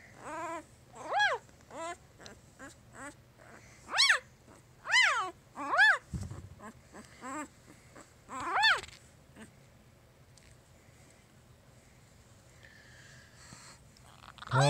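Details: Jig's three-day-old puppies squeaking and whimpering: about a dozen short, high arched cries spread over nine seconds, some loud and some faint, then quiet with a soft thump and low hum.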